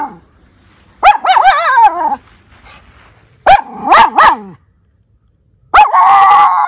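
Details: Miniature Schnauzer brothers in Aroostook County, Maine: Lucky sounds the alarm about someone nearby with abrupt barks that stretch into quavering, howl-like tones, three outbursts separated by short silences.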